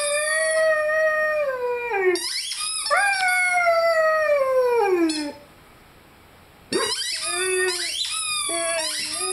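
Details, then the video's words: Rhodesian Ridgeback puppy Lyle, five months old, howls along with a squeaky chicken toy. Two drawn-out howls slide slowly downward, a silent gap follows, then shorter wavering howls return among high-pitched squeaks. "Rhodesian Ridgeback Howling with squeaky toy"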